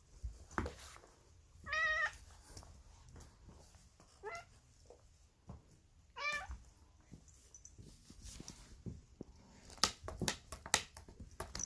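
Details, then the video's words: Female polydactyl house cat indoors making odd, raspy, wavering meows, likened to Marge Simpson's voice; three short harmonic calls, the first and third longer, spaced about two seconds apart, with scattered clicks and handling noise between them. "Mutant Cat Makes Weird Cat Noises She Sounds Like Marge Simpson"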